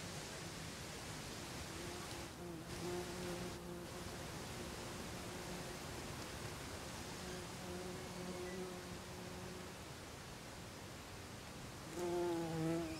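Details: A buff-tailed bumblebee (Bombus terrestris) at its nest in Olariaga, Zamudio, Bizkaia, Spain, on 24 April 2021 gives a low, droning, harmonic buzz in intermittent bursts, strongest near the end, over a steady background hiss.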